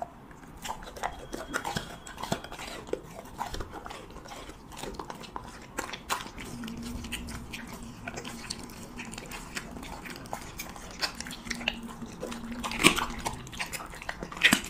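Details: Siberian Husky eating cheese meat in an ASMR mukbang recording: irregular wet crunches and bites, roughly every couple of seconds, over a steady low hum, with a louder bite near the end.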